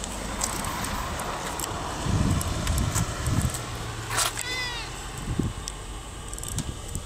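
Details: Friendly white street cat, apparently once tame and unafraid of people, gives a single short meow with a falling, harmonic-rich arc. Steady traffic hum and passing vehicles fill the background.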